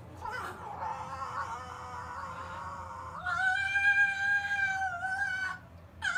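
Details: Whining from a young male silver fox kept in a kennel, pestering his older brother during their nightly settling-in; a long, sustained, nasal whine that holds steady, then jumps higher and stays level before trailing off.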